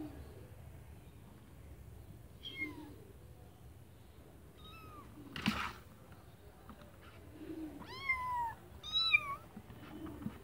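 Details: Kittens in a white bucket giving thin, high-pitched mews: a few short squeaks early on, then a louder run of rising-and-falling meows near the end, with a sharp knock midway and a faint low hum underneath.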